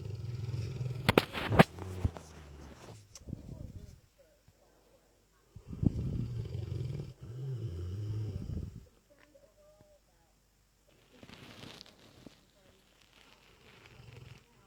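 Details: Deep, throaty snoring from Dezo, a sleeping Lurcher, comes in drawn-out rumbling bursts several seconds long, separated by near-silent pauses. A few sharp clicking sounds occur early on.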